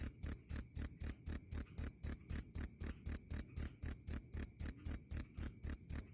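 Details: Cricket chirping loudly and clearly, offered as master sound for training songbirds: sharp high-pitched chirps repeated about four times a second, steady and evenly spaced across six seconds, no other sounds.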